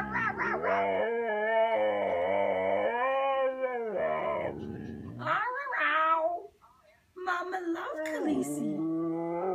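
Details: A female Siberian Husky, Khaleesi, talks in hope of a walk: warbling, wavering howl-moans with quick pitch swoops, broken by a brief silence before more choppy yowls.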